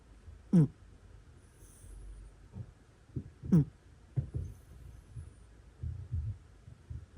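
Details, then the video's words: Domestic cat snoring in its sleep, irregular soft breathing with two clearer nasal, whistling snores about three seconds apart amid quieter rasping breaths in a hushed room. "猫いびき Cute Cat Snoring Sounds"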